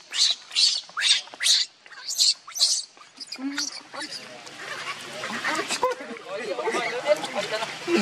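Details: Baby monkey Leo, hungry and begging its mother for milk, gives a string of short, shrill squeals over the first three seconds, then cries fade into a busy, rustling background with low chatter.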